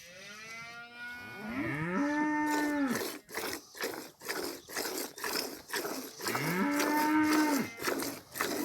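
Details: Cow in a village giving two long, level moos with rising onsets, each lasting about a second and spaced about four seconds apart, over a steady run of sharp knocking or clattering sounds.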